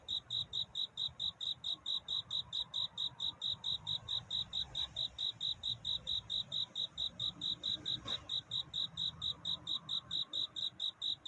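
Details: Cricket calling for love in the night before dawn, rapid evenly spaced high-pitched chirps running throughout, with a faint low rumble and one brief click.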